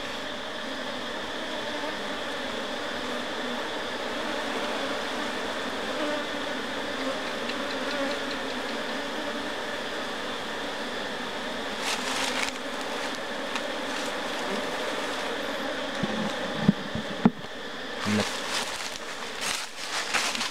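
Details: Continuous humming drone of an Apis cerana colony right after honey was harvested and frames returned to the hive, unbroken for most of the stretch, then joined by scattered sharp clicks and knocks from handling near the end.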